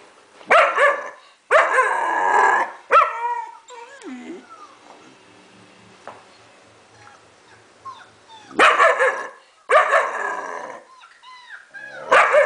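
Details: German Shepherd, four months old, barking at played-back German Shepherd puppy noises. Heavy, rough barks come in clusters at the start and again after eight seconds, separated by a quieter stretch of high, sliding puppy whines.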